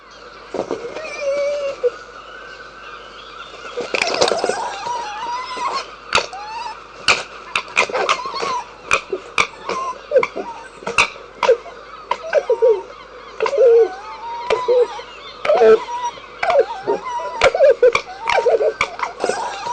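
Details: Red fox vocalising, with repeated mid-pitched whining calls that bend up and down and short rising squeals, broken up by many sharp clicks and crackling knocks scattered throughout.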